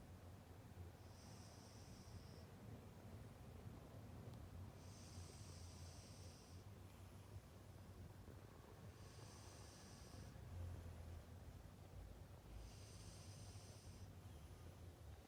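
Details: Arang, a sleeping pet cat that seems to be dreaming with wiggling paw pads, snores in four thin whistled wheezes, one roughly every four seconds, each lasting one to one and a half seconds, against a constant low hum.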